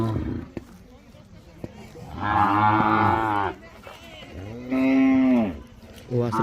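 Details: Mysore/Khillar calves aged five to eight months in a tethered row in Beed district, Maharashtra: two loud moos, the first rough and broad, the second smoother and arching, with brief talk at the start.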